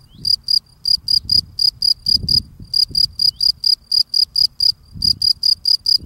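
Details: Male field cricket singing while cleaning the steps of his burrow: high, shrill chirps in quick pulsed bursts, about three per second, steady throughout, with soft low scraping and rustling from the cleaning underneath.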